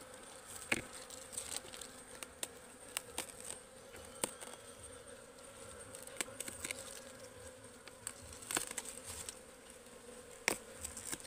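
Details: Wild honeybees from a forest hive being harvested: continuous humming drone overlaid with frequent crackling taps and handling noises throughout.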